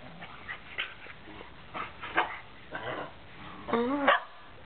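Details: Two grown Shetland Sheepdogs playing wildly give a run of short sharp barks and yips, the last ones higher and ringing with a slight rise and fall, while a person calls to them.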